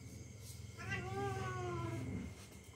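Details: House cat letting out one long, slightly falling yowl of about a second and a half while play-fighting with the family's young dog, over a constant low hum.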